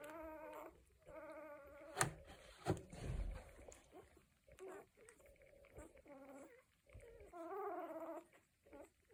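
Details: Cocker Spaniel puppies, one week old, from a litter making noises: thin, wavering whines with stacked harmonics come in short bursts, some sliding up and down, with soft thumps and rustling underneath.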